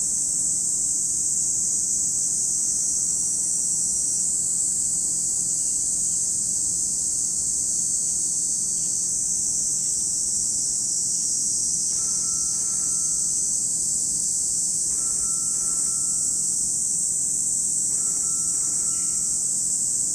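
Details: Constant shrill droning of cicadas by Lake Kamo in Sado City, Niigata, Japan, joined in the second half by short repeated clear tones from another animal at intervals of about three seconds.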